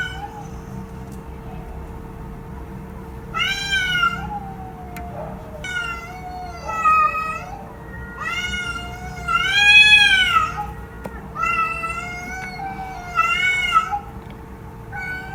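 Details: Series of about five loud, bending meows from a domestic cat, spaced roughly two seconds apart, each swelling and falling in pitch. Quiet gaps in between hold only a faint steady hum.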